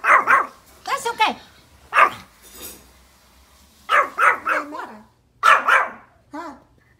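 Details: Pomeranian dogs barking at deer outdoors: loud, harsh yapping barks in quick clusters of two to four, repeated several times over seven seconds, with a person speaking softly between bursts.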